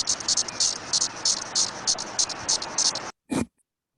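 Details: A male Brood X periodical cicada from the eastern U.S. gives its calling song to attract a specific female: high, hissing buzzy pulses repeated about three times a second.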